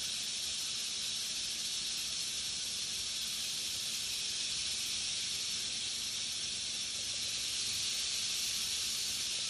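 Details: Captive black-tailed rattlesnake keeping up a sustained rattle, an even, high, hiss-like buzz that runs without pause throughout and barely changes in loudness.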